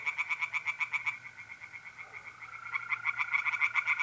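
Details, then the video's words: Tree frogs calling by night from a pond in north-east Italy in mid April: rapid pulsed croaks, several per second, pausing briefly mid-way, over a continuous mole cricket trill. "relaxing singing tree frogs in pond"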